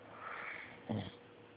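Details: A sleeping service dog snoring: a soft breathy inhale gives way to a short, low, wheezing snort near the end, over a steady faint indoor hum.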